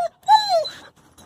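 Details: Young male wolfdog, just bathed and blow-dried, vocally arguing before obeying a sit command: a short clipped note, then a drawn-out whining yowl that bends up and slides down, ending in a soft trailing murmur.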